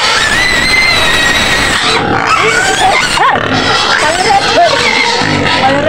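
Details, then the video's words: Screaming white pig in a pen near Medan, Indonesia, wanting to be fed: harsh high squeals, then shorter rising and falling cries and grunting bursts, with a woman speaking over the noise. "SUARA BABI PUTIH MENJERIT JERIT DI KANDANG"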